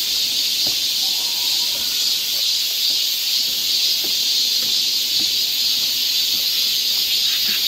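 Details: Korean summer cicadas in a Seoul forest produce a loud, continuous high whirring buzz without pause, accompanied by a few faint brief clicks and taps.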